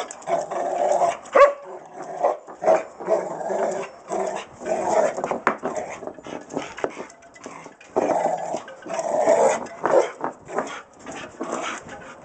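A Rottweiler gives a run of deep, growly barks and grumbling vocal sounds in uneven bursts.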